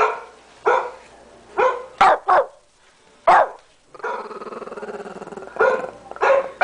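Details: Tommy, a 13-pound house Shih Tzu, barks at the computer: a few sharp barks, a quick double bark, then a drawn-out whiny, growly vocal stretch before more short barks.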